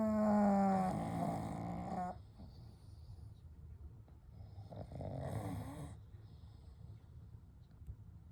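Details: Sleeping together, the three pugs Kou, Gen and Shun give a loud whistling snore lasting about two seconds, then a softer rasping breath a few seconds later over a low, steady breathing hum.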